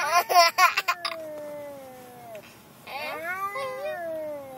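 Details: Pet cat Gilligan, riding in the car to the vet and getting madder, lets out two long, plaintive meows, the second wavering up and down, after a short burst of people talking.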